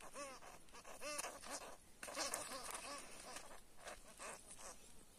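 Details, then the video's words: Squealing from a field hamster, locally called karbysh, held by a cat: short arched, nasal cries repeated in clusters roughly every second, with rustling and scraping in between. "Кіт спіймав карбиша😱 🐹 Кіт спіймав польового хом'яка"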